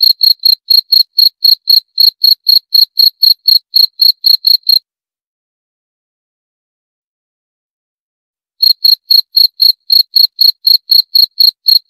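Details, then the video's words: A cricket chirps rapidly, about four high pulses a second, then falls silent for nearly four seconds before resuming the same even chirping. Nothing else is heard. "18 Menit Suara Jangkrik - 18 Minutes Cricket Sound Effect"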